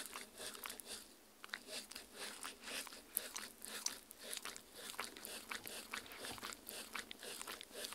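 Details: Dog eating homemade Halloween jello worm treats made of strawberry, meat, agar-agar and water, recorded indoors on a Tascam R-40 for ASMR; wet crunching and biting bites repeat roughly twice a second in a quiet small room.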